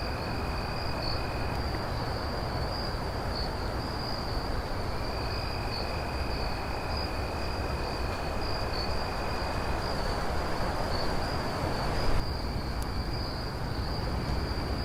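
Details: Crickets at night sustain a high unbroken trill, while a lower trill comes and goes in stretches; a brief sharp knock sounds late, all over steady low rumbling noise.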